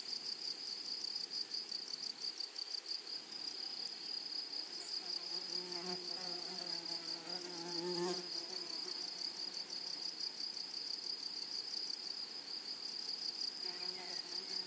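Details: Grasshoppers in a flowery meadow or prairie: a steady, high-pitched buzzing trill holds on continuously, finely pulsed, with a low humming buzz passing through the middle of the recording.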